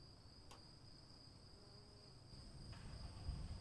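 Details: A cricket chorus in the rain holds one thin, steady high tone throughout, with a soft rushing rain bed below, a sharp click at half a second and louder low splashing near the end.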